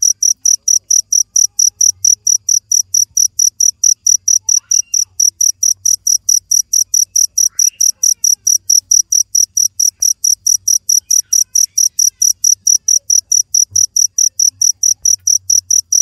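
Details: A cricket keeps up a long, unbroken run of sharp, high-pitched chirps, around four each second, loud and regular against near silence.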